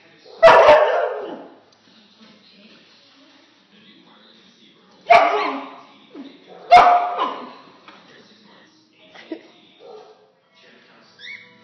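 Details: A Golden Retriever puppy that is afraid of a lemon peel gives a few sharp, high-pitched barks spaced several seconds apart.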